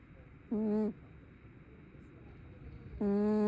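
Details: Sleeping tabby cat lets out two steady hummed snores, one short and one starting near the end, separated by about two seconds of quiet breathing.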